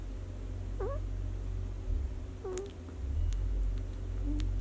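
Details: Six-day-old White Swiss Shepherd puppy from a 2019 litter giving two short, thin rising squeaks about two seconds apart, with a few faint clicks over a constant low background hum.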